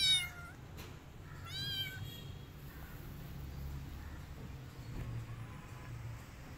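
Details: Rescued kittens hiding in a jacket: a quick high meow opens, then a longer rising-and-falling meow follows about a second and a half later, over a steady low rumble.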